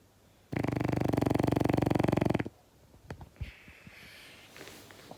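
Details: A male French Bulldog gives a loud, rattling snore lasting about two seconds while sleeping.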